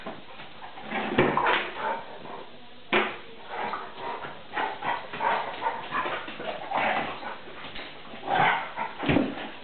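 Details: Vizsla puppy Tarka, three and a half months old, and pointer NooNoo wrestle in play indoors: a near-continuous run of rumbling growls, snarls and brief yelps, rising and falling, rough as a fight.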